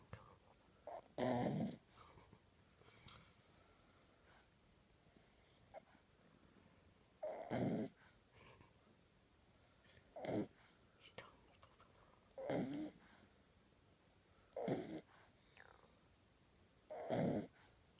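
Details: Sleeping ten-week-old French Bulldog puppy, a male, tongue out, giving six rough, raspy snores at intervals of about two to three seconds, each short and throaty, with near silence between breaths indoors.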